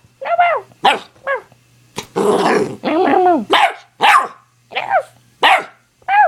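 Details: Nine-week-old American Pit Bull Terrier puppy in a barking contest with its owner: high, arching yelping barks, some rough and growly, in quick irregular bursts, with a steady low hum underneath.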